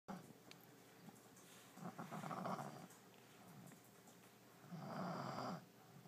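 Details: French Bulldog named Allie, a pet fast asleep in her new bed early in 2012, snoring in two long rasping breaths, the second louder and longer, over quiet indoor background.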